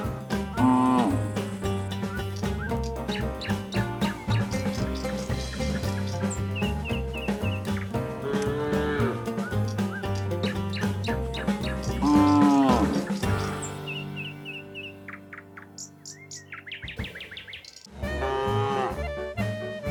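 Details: Tame cows, herded in the afternoon while grazing fresh grass in a pasture, give deep, drawn-out moos over steady background music.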